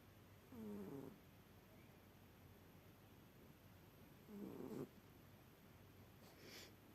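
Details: A sleeping cat snores in a quiet room: two low, rasping, slightly tonal breaths about four seconds apart, each lasting about half a second, with steady faint background hiss between them.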